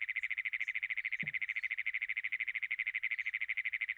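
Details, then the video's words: Great Plains toad calling, a playback example from Iowa survey training: a fast, unbroken mechanical buzz of evenly spaced pulses, steady in pitch throughout, lacking the musical quality of the American toad. "hopefully you can hear what I was saying, that it kind of sounds like you're trying to turn over an engine that won't turn over,"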